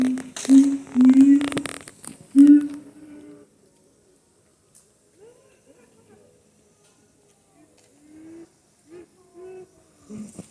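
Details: Siamang calling at Higashiyama Zoo: three rising hoots in quick succession amid rustling and clatter, then faint, softer short notes trailing off over several seconds.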